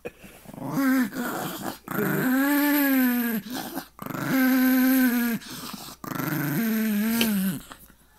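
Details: Chihuahua growling while guarding his bone indoors: three sustained, steady, buzzy growls of roughly one and a half seconds each, with brief breaths between them and a slight dip in pitch on the last.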